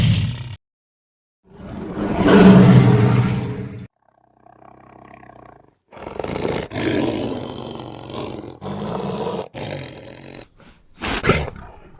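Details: Lion roar, a deep, loud, rasping bellow rising and fading over two seconds, followed by a quieter tonal fragment and a run of rough, broken roaring bursts; sharply cut clips with silent gaps between.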